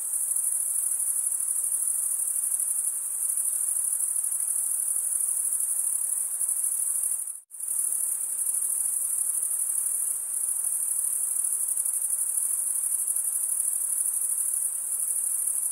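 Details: Stridulating male crickets produce a steady high shimmering trill that cuts out briefly near the middle, then resumes at the same level and pitch, continuous and even to the end.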